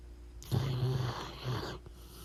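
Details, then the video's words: A single long, loud snore from a sleeping pit bull, a harsh rattling rumble of about a second and a half that trails into a brief snort. "Cute Dog Snoring Loud When Sleeping"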